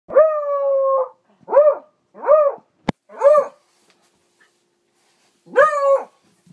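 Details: A beagle bays at a mounted trophy boar on the wall after a hunt, giving loud, drawn-out barks, one long and several shorter, with a sharp click between.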